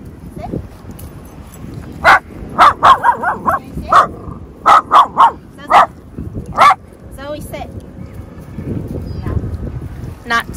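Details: Miniature Dachshund bark from one of two pet mini dachshunds, Zoey, 10 months, and Gracie, 2 years, during a two-week board-and-train obedience session: about ten sharp, high yips in a burst over five seconds, with a trainer's voice and background music.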